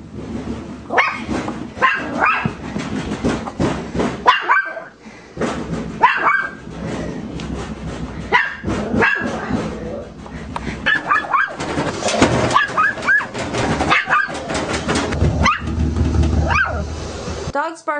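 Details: Chihuahua barking reactively indoors at the noise of a broken washing machine. Sharp barks repeat in quick bursts, mixed with a person talking.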